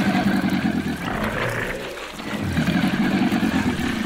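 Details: Wild black caiman producing a low, buzzy, pulsed growl with stacked harmonics. It comes in two bursts, at the start and again after a short pause near the middle, over a steady background rumble.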